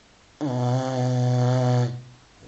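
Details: Filby, a five-month-old Continental Bulldog, snores while asleep indoors: one sustained, low, droning snore of about one and a half seconds with a rich buzzy tone, rising sharply and fading out.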